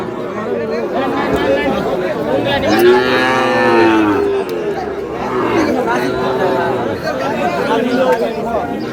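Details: Moos from Sahiwal bull calves at a busy market in Satkhira, Bangladesh, on 10 May. A few long bellows rise and fall amid steady crowd chatter and men's voices.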